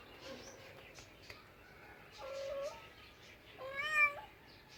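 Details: Cat in a small indoor room making drawn-out, fairly level meows, the last one louder and strained, with faint softer mews and a few clicks between.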